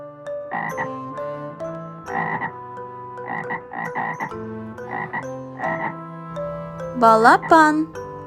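A frog croaks in short, rough, pulsing bursts, repeated roughly once a second with uneven spacing. Soft background music runs throughout, and bright rising peeps near the end sound like a chick.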